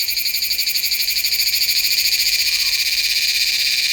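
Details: Meimuna iwasakii cicada at Nanzhuang, Taiwan, recorded in September on a Sony A7s3 with a Rode VideoMic NTG: an even, rapidly throbbing high-pitched buzz with fast, uniform pulses, several per second, sustained throughout.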